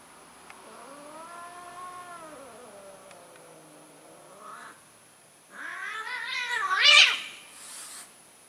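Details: Cats mating, an orange cat trying once more; a long wavering yowl, a short pause, then a louder rising, strained caterwaul ending in a harsh peak.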